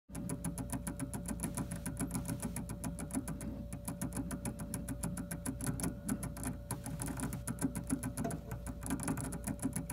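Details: A colour gerbil (called a hamster) gnaws a kitchen paper roll core in its cage, a fast run of dry, crisp clicks and scrapes over a faint steady hum.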